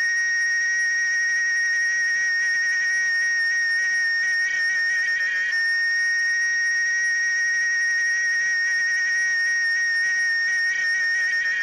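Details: A male cicada sings a loud, steady, whistle-like drone that holds one high pitch without pause, produced by its tymbals.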